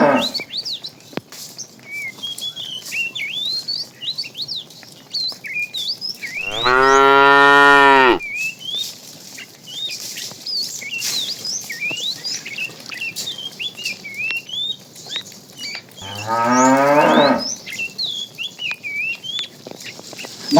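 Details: A herd of tame cows walking along a road in search of food gives two strong, drawn-out moos several seconds apart, each about one and a half seconds, with many small birds chirping and twittering throughout.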